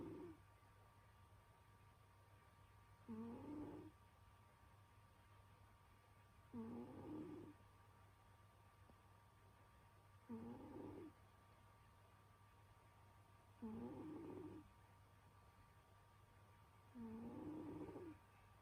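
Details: Pet cat Senyora Betsy snoring in her sleep during winter: raspy breaths with a faint upward-sliding tone, each about half a second to a second long, recurring roughly every three and a half seconds over a steady low hum.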